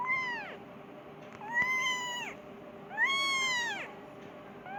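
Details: Hungry Persian kitten meowing for its mother: repeated long, level-topped meows with rich harmonics, each lasting about a second, spaced roughly 1.4 seconds apart, steady low hum behind.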